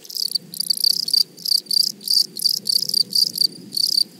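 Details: Grasshoppers singing in a flowery meadow produce loud, rhythmic buzzy rasps, about three bursts per second in a steady pulsing train with short gaps between, over a quiet, faintly rustling background.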